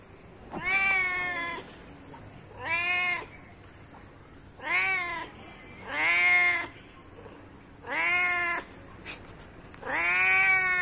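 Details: Cat calling its companions with six strong, even meows, each swelling and dipping in pitch, repeated roughly every one and a half to two seconds against a quiet background.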